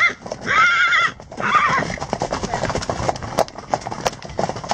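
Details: Wild horse neighing: a loud, wavering whinny of about half a second, then a shorter second one, over steady drumming hoofbeats of galloping horses.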